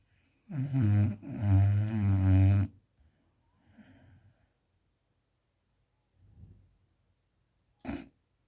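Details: Puppy Alfa dozing and snoring: one long, heavy, rattling snore in two pulses, then faint soft breaths and a short sharp snuffle near the end.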